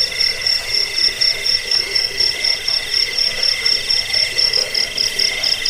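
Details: Cricket chirping on a recording meant to drive away rats, aid sleep and train songbirds: a steady high, pulsed trill with rapid, evenly repeated beats over a layered, continuous insect-like hum.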